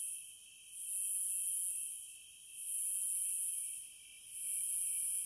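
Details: Cicadas in a continuous high, hissing buzz that swells and fades in waves about every two seconds, over a steady thinner whine lower down; no other sounds.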